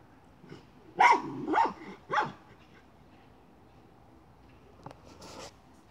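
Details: Miniature schnauzer hunting a chipmunk, moving a pipe: three sharp barks in quick succession, about half a second apart, near the start, then quiet, with a brief scraping clatter near the end.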